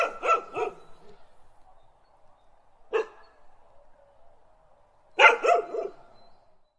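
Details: Dog barking: a quick burst of three sharp barks, a lone bark about three seconds later, then another fast cluster of three or four barks near the end, with quiet gaps between.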